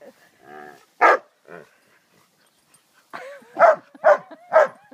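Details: Ten-week-old female Cairn Terrier puppy giving short whines and one sharp yap, then three quick high-pitched barks close together in a quiet indoor setting.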